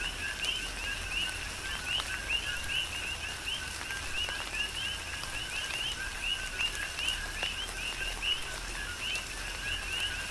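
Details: Big Island, Hawaii coqui frogs in a tropical downpour, a continuous chorus of quick upswept chirping notes at two pitches, rhythmically repeating beneath even rain patter and a few louder drops.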